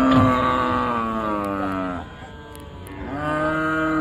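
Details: Cattle unloaded at a village cattle market by the riverside; two strong, rich-toned moos, the first long and slowly falling, the second rising after a short pause, with faint market noise beneath.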